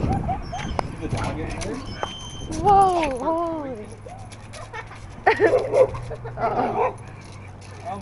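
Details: Excited dog indoors, described as going crazy. A series of arched, high whining yelps comes in a quick burst mid-clip, followed by short yips, while people talk loudly throughout.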